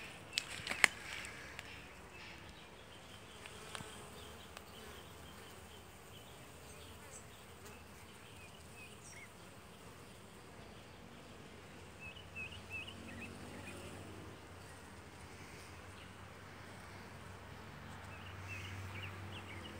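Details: Kept honey bees hard at work inside their hive on the second super, filling combs about three weeks old and almost full; a steady, dense buzzing hum that swells toward the end, with a few sharp clicks early on.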